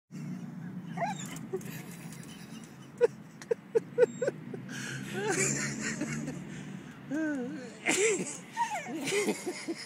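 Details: A dog trying to play fetch with a statue lets out high, wavering whines and yips toward the end, mixed with human voices and a few sharp taps.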